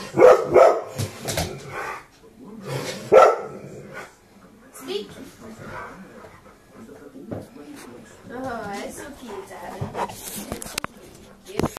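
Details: A 5-year-old pet Rottweiler indoors barking at squirrels on television: loud barks at the start and again around three seconds, followed by mixed human speech and room sounds.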